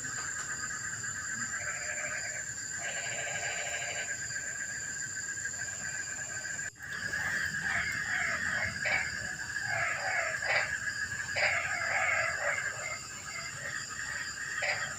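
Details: Frogs at night in the rain filling a quiet evening: a few short pulsed croaking bursts, then after a sudden break a busier chorus of brief overlapping notes repeated irregularly, with constant hiss throughout.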